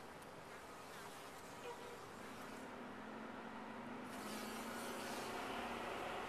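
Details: Steady colony hum of honey bees in a top-bar hive, a continuous buzzy drone that swells slightly louder toward the end.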